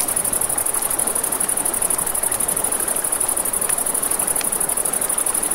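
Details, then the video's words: A high, unbroken shimmering chorus of crickets at night near a river, heard above the steady roar of flowing water, with a few faint crackles from a campfire. "1 Hour of Crackling Fire, Crickets, Ambient Nature Sounds"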